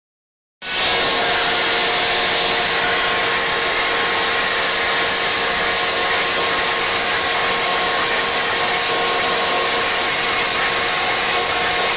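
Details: After a brief silence, a loud, steady whirring like a hair dryer or vacuum cleaner starts and runs unbroken, with no animal sound.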